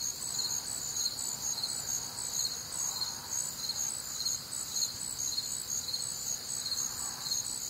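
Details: Crickets chirp in a thick nocturnal chorus on a humid Midwestern summer night, bright pulses about two per second layered over a steady high drone, with faint soft lower tones drifting in.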